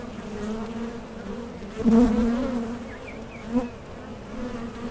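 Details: Honey bees around a Mason jar honey super: a steady low drone, with one bee buzzing loudly close by around the middle and another brief near pass a little later.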